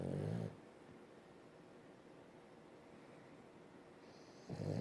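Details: A French bulldog snores while held in its owner's arms, giving low, rattling snorts at the start and end of a quiet stretch.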